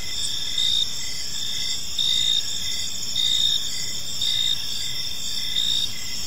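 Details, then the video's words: Crickets chirping in a peaceful park as evening unfolds; a steady high trill with louder pulses about every 1.2 seconds over faint low background rumble. "Cricket Sounds in a Peaceful Park"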